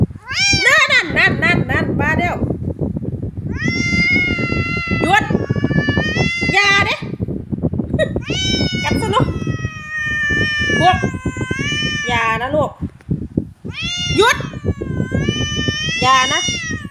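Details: A grumpy, easily irritated domestic cat in a bad mood gives long, drawn-out grumbling meows of complaint while its owner talks to it and offers it wet food.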